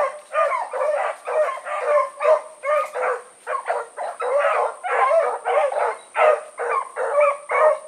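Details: Evening run of the Blackreek pack, four dogs named Choco, Dino, Johnny Ringo and Mingo, on August 16, 2014: dense, overlapping barks about twice a second with a steady thin high whine behind them.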